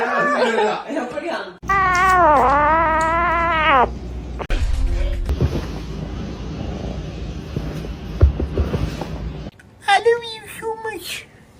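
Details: Domestic cat giving a drawn-out, wavering meow of about two seconds with an arched, rising-then-falling pitch, followed later by a few short meows, with people talking and background music throughout.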